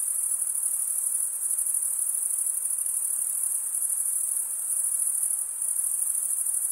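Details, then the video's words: Chorus of chirping crickets, the males stridulating with comb-like wing veins, forming an unbroken, piercing high trill that holds an even level throughout, with a faint soft hiss beneath it. "Most relaxing cricket sound for 8 hours"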